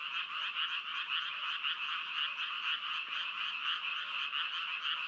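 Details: Frogs croaking in an unbroken chorus, pulses roughly twice a second over a dense buzzing background of overlapping callers, mid-high pitched and steady.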